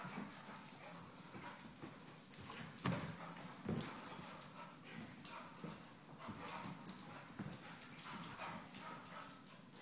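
Vizslas tussle with rough growls, snarls and sudden snapping bursts, irregular and overlapping.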